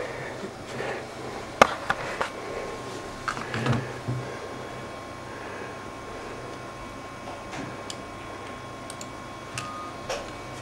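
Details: Quiet indoor room tone with a steady low hum, a few sharp clicks and knocks, and faint distant voices; no animal calls stand out.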